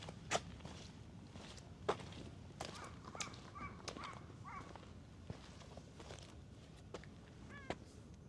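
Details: Orange tabby stray cat at a ferry terminal after rain, heading to the ticket office to eat; several short, soft meows with slight pitch bends around the middle, then a final rising meow, over footsteps and low outdoor rumble.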